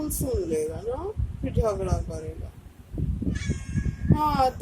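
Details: Domestic cat giving three drawn-out meows that rise and fall, spaced about a second and a half apart, while a person talks softly to it in Hindi between the calls indoors.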